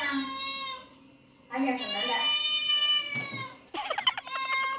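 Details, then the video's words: Cat meows playing from a television, heard by pet cats in a home; two long, loud, harmonic meows, the second sustained and slightly falling, followed by a rapid clattering burst. "My Cats Reaction When They Heard Cats Meowing On TV"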